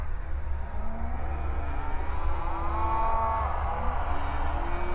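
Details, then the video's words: Grazing cattle on an open outdoor range pasture: a faint bellowing moo swells midway, with softer low lowing before and after it, set against steady background hum. "Outdoor Pasture Cattle Grazing Sounds"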